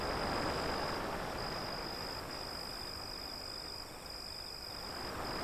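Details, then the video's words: Crickets beside waves beyond an alley: a steady, high, shimmering trill pulses without pause under the broad, rolling wash of surf, which swells strongly at the start and end. "Crickets Sound"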